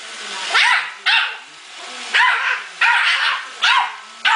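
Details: Male Yorkshire Terrier attacking a robot vacuum, shrill yips with rising-falling pitch repeated roughly every half second to second, backed by constant machine whir.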